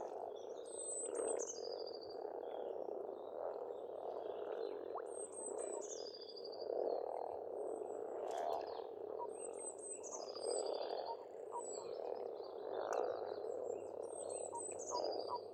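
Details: Frogs calling together at a pond on an Estonian farmstead in spring, a steady, thick rattle of overlapping croaks swelling every few seconds, with repeated high, clear birdsong phrases over the top.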